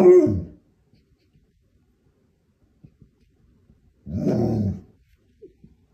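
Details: Pet dog vocalising indoors to win its owner's attention and bargain for treats; a short throaty huff at the start, then a longer rumbling, grumbling sound near four seconds, otherwise quiet.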